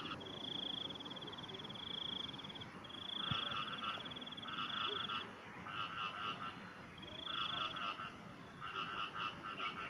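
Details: Frogs give high, buzzy trilled calls in pulsed bursts in the morning, with a fainter chorus beneath.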